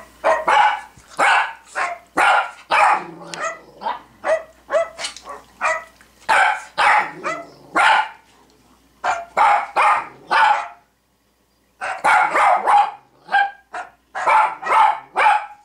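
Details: Zoe, a female Cavalier King Charles Spaniel, barks at a playing recording of another Cavalier barking. Sharp, loud barks come in rapid bursts of several at a time, with a short silent gap midway before a fresh volley resumes.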